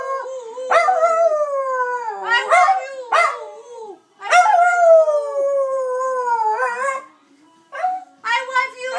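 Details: Pet Dachshund Dusty sings his "I love you" howl for his owner: long, slowly falling, quavering howls with short gaps, a human voice mixing in between the howls.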